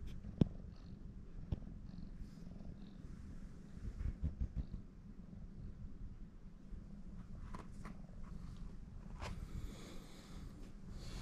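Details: Female house cat from Shimane Prefecture, Japan, kneading a person's stomach. Continuous deep, even purring rumble for the whole stretch, with occasional light taps and fabric rustling.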